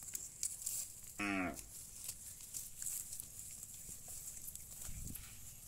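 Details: Calves grazing give a single short, nasal bawl, a rising then falling moo lasting under half a second, over a steady high hiss and faint background rustling.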